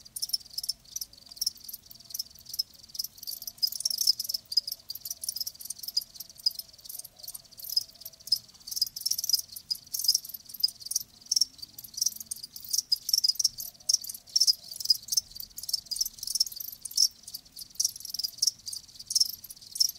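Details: Live crickets chirping continuously for a full stretch, dense high-pitched trilled pulses overlapping in rapid irregular bursts, a steady shimmering insect chorus with no other sounds.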